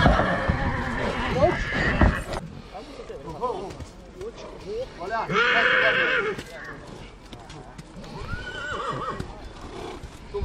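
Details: A mare from Satu Mare lets out a loud, bright whinny lasting about a second midway through, with people talking before and after and scattered handling and hoof noises.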